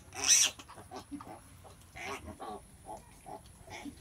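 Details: A sow giving birth, with short, low, soft grunts repeated irregularly and one loud, shrill squeal near the start, over a quiet background.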